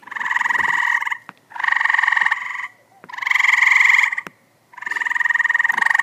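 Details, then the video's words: Pool-dwelling tree frogs in 2014 calling with buzzy, strongly pulsed croaks, four long bursts of about a second each separated by short pauses, with faint clicks between. "Tree Frogs in Pool 2014"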